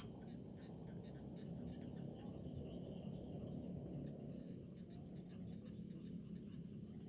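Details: In a paddy field, a cricket keeps up a shrill, high-pitched trill of quick pulses with a few short breaks, a quiet low background hum underneath.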